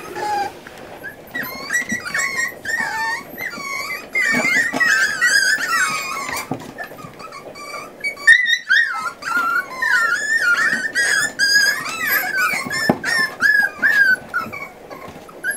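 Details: Litter of eight Miniature Schnauzer puppies at forty days, indoors during weaning by their mother; busy, twisting high-pitched whines and yelps crowding together, a short lull near the middle, then renewed wavering cries.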